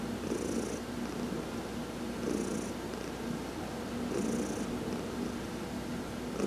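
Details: Purring of Heidi, a domestic cat, massaged in the sun on November 19, 2020; an even, low vibrating purr pulsing with breaths about every two seconds.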